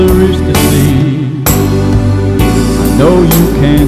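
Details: Guitar-backed song with singing fills the recording, steady plucked strings and a low bass line, with no frog or other animal voice heard.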